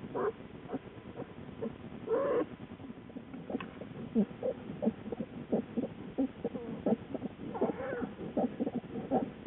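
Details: American black bear Lily in her den with newborn cubs, recorded on a den camera in February 2013, late evening; soft repeated squeaky calls roughly every two seconds over a steady low hum.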